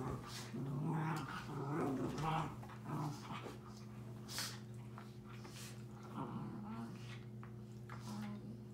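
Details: Two 7-month-old Miniature Schnauzer puppies fighting indoors: rough, low growls and grumbling snarls in bursts through the first three seconds, then softer growls and scuffling, with a steady electrical hum underneath.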